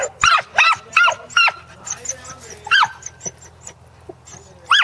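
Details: Two corgis working sheep on a farm in Arlington on 27 March 2011, their second try at herding; a rapid string of short, bright barks repeats irregularly, with softer yips between louder bursts and faint background hum.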